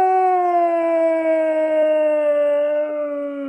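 A husky gives a long, smooth howl that slowly falls in pitch.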